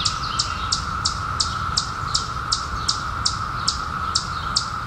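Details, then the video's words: Steady, unbroken hum of periodical cicadas in their 2021 emergence after 17 years, with bright falling chirps from another sound source pulsing about every third of a second above it. "SOUND OF CICADAS 2021"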